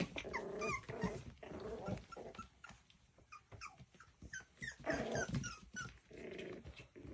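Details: Miniature Schnauzer; play growls; puppies playing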